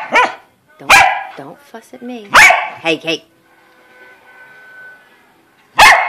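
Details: Corgi confronting a gator, letting out a few sharp, loud barks spaced a second or more apart, with a person talking between them and a faint steady hum in the background.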